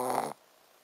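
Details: Shih Tzu dog fast asleep and snoring, a 'buu, buu' sound: one short, loud, rough breathy snore lasting about a third of a second, then quiet room hiss.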